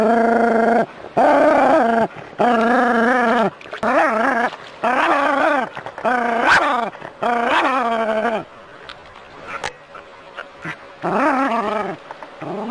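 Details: Jack Russell Terrier playing with water from a garden hose, producing a rapid string of tonal, quavering growl-yowls, roughly one per second, then quieter sporadic whines near the end.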